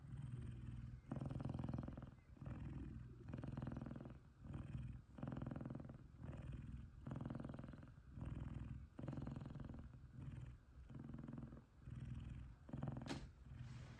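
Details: Loud, happy purring from an F2 Savannah cat cuddling with another male F2 Savannah: a deep, steady rumble pulsing in regular breath cycles about once a second.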